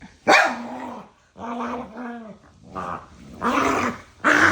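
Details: Two pet dogs behaving like a married couple, yapping and arguing nose-to-nose with playful love bites: loud sharp yaps alternate with whiny, drawn-out vocal grumbles, in bursts separated by short pauses.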